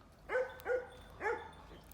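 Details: Three ringing, harmonic barks from a farm pet dog: two close together, a short gap, then a third, with quiet surroundings.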